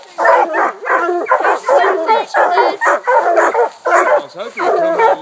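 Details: Four hounds at the tree: an 8-month Walker pup, a 5-year Walker, a 6-year Black and Tan and an 18-month Bluetick, with a raccoon treed. Dense, rapid barking with overlapping voices in steady bursts.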